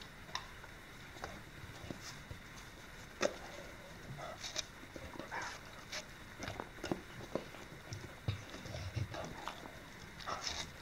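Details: An English Springer Spaniel eating watermelon on 2015-08-11, with wet, crunchy chewing and slurping clicks in irregular bursts.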